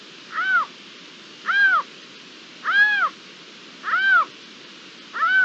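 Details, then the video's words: Calling Iberian lynx, ambient recording from 27 April 2022: five loud, clear arched calls, each a short rising-and-falling mew with strong overtones, repeated about every second against faint steady background noise. "La llamada del lince"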